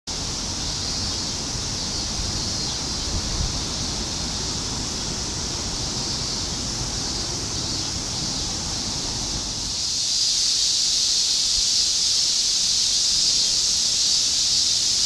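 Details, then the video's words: Continuous summer chorus of cicadas in Shinjuku, Tokyo, 2016: a dense, steady high hiss that swells louder about two-thirds of the way through, over a low rumble of city traffic. "Continuous chorus of cicadas in Shinjuku ～ 2016 新宿 蝉しぐれ"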